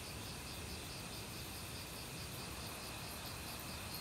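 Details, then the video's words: Autumn crickets calling in a forest alongside various other insects, steady high ringing trills and faint pulsed chirping layered over the constant rush of a mountain stream. "가을 귀뚜라미 소리"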